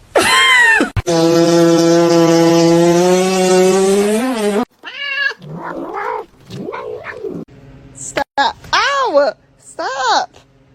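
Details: Cat with a long, drawn-out yowl of about four seconds, steady and richly harmonic, then a run of short arching meows, with human voices mixed in.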